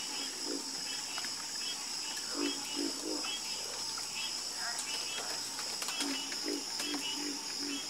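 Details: Nighttime frog chorus with short, throaty croaks in small groups of two or three, spaced irregularly, backed by a steady high insect trill.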